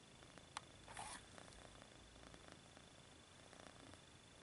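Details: Kitten purring as it stretches its paws, low rhythmic rumbling purr, a sharp tap near the start and a brief rustling burst soon after, then steady purring to the end.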